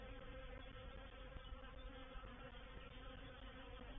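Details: Reproductive swarm of honey bees moving into a bait hive (swarm trap) at Painted Peacock Manor on 04/07/21: a dense, steady, even hum with layered low droning tones, unbroken throughout, no other sounds.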